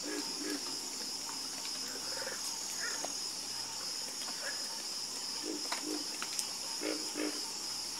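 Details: Night frog chorus: short stacked croaks come in pairs and small bursts, with scattered clicks above and a constant shrill insect drone in the background.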